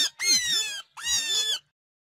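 A rabbit gives two harsh, high-pitched squeals, each under a second long.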